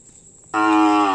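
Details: Champion racing bull of the kerapan sapi bull races at the Sokaramme field on Sapudi Island, lowing loudly: a sudden, steady, rich harmonic moo that starts abruptly after near silence and holds its pitch until cut off.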